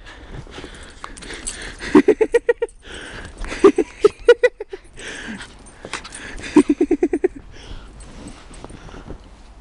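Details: Pembroke Welsh Corgi out in the snow, trying to eat it, giving three rhythmic runs of rapid, evenly spaced yapping barks, about six to eight per run, with soft rustling between them.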